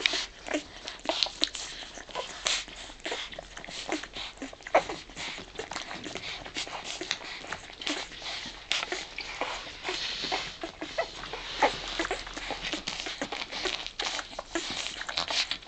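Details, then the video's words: Lola's puppies eating lunch indoors: constant wet smacking and lapping sounds, rapid and irregular clicks of chewing, with faint whimpers mixed in. "Lola's Welpen "Schmatz, schmatz""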